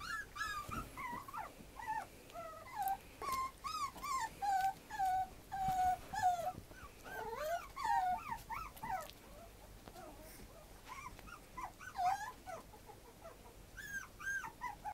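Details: Dog from a breeder listing, whimpering in a long series of high, wavering whines that rise and fall and come in quick, irregular bursts with short pauses between them.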